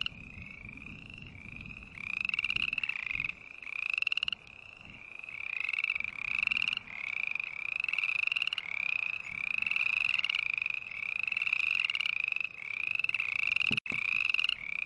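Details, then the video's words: Green tree frogs trill in a steady chorus that starts softer and grows louder: buzzy pulsed calls about a second long, each rising slightly, repeated almost without pause, with one sharp click near the end. "Sounds of Green Tree Frog Call"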